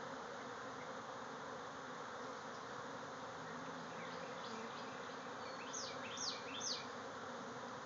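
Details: Backyard bee swarm pouring out of a hive, thousands of insects in the air. Continuous, thick humming buzz throughout, with a brief run of faint chirps and then three clear downward-swooping bird calls toward the end.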